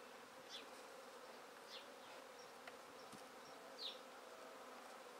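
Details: A swarm of honey bees shaken from a tree into a swarm basket keeps up a constant, even hum. A bird calls with brief descending high chirps now and then, and a faint click marks the middle.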